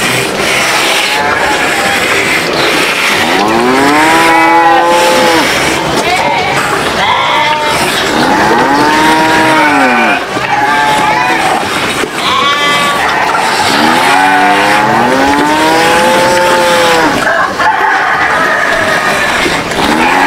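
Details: Several farm cattle competing for food, giving drawn-out arched moos that rise then fall, about four overlapping calls over twenty seconds, set against steady broadband rushing noise.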